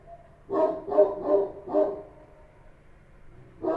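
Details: Street dogs of the Kochi type barking at night in Kabul: a quick run of four mid-pitched barks, then a pause and another bark starting at the end.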